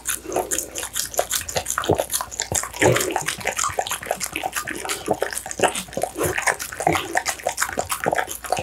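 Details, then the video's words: An American Bully dog at its meal of pumpkin, duck meat and tofu, recorded up close: dense, crisp wet clicks and slurping chews packed tightly together, with a few deeper gulping thuds. "American Bully ASMR Mukbang: The Most Intense Eating Sounds!"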